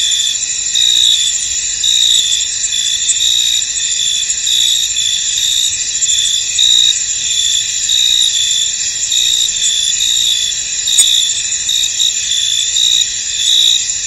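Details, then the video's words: Field crickets on a misty night meadow keep up a continuous, thin, ringing chorus, with short brighter trills flickering in and out at an uneven rhythm throughout. "Tranquil Cricket Sounds In An Misty Field"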